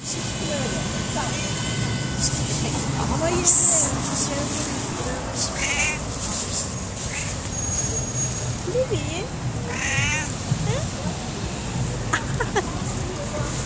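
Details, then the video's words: Hungry cat that came to a shop asking for food, giving short rising and falling meows scattered through the recording, with steady background hum and traffic noise and people talking. "Çok acıkan kedi markete gelmiş yiyecek istiyor"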